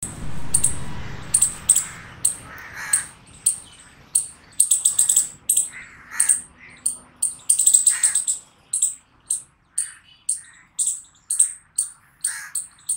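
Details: Chipmunk chirping: sharp, high, clicky chirps repeated steadily about three to four times a second, some in quick doubled bursts, over low rumbling background noise early on.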